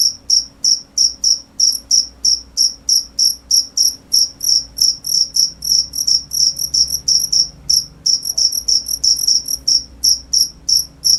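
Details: Long run of sharp, high cricket chirps, short pulses coming quickly and fairly evenly, with a brief gap before the series resumes; faint low background hum.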